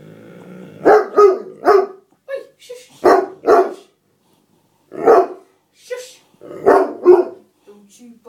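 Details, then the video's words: Max, an Otterhound/Spinone mix dog, throws a tantrum indoors because his seat has been taken. He gives loud grouped barks in short bursts of two or three, with pauses between them and a human voice mixed in. "Otter hound/Spinnone Max Having A Tantrum"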